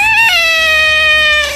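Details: Pet cat giving a single loud, drawn-out meow of about one and a half seconds: a clear tonal cry with rich overtones that starts slightly higher and then slides gently downward, holding a steady, even pitch to the end.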